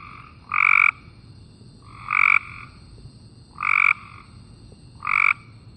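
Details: Cope's gray treefrog gives short, flat-pitched buzzy trills about every one and a half seconds, more continuous and less distinctly pulsed than the gray treefrog's call.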